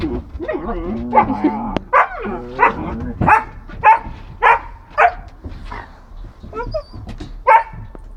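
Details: German Shepherd mother, jealous of her puppy, pushing it under a bench with her forehead because she wants to be petted herself: whining yelps then a run of loud sharp barks about once a second, with a person speaking.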